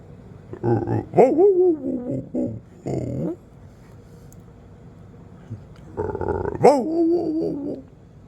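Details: A Rottweiler, a calm male pet, gives drawn-out, wavering moaning yowls and grumbles sliding up and down in pitch, "talking" back to weird noises and told to speak, with soft music and a voice between.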